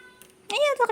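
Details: Cat giving a short, bright meow that rises and then falls, followed at once by a brief second note, with faint ticking before it.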